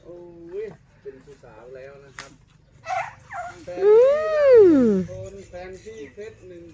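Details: An Asian elephant gives a loud, brassy trumpet that swoops up and then falls away among people talking; its mahout was startled and rushed over to look.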